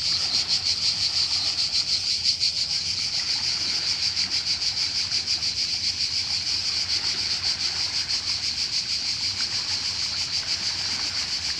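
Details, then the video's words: Croatian cicada song, an intense shrill buzz pulsing rapidly without pause, slightly louder at the start, with gentle surf noise in the background. "Cicada (Cicala) and wave sound in Croatia"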